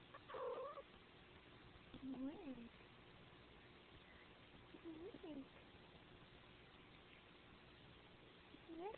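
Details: Male Siamese cat meowing indoors in a muffled, low-quality recording: four short, wavering meows, each rising then falling in pitch, spaced two to three seconds apart. The first is the loudest, and faint background noise runs throughout.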